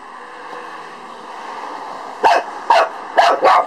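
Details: A Lhasa Apso barks at a beetle: after two seconds of steady low hum, four quick sharp barks follow in close succession.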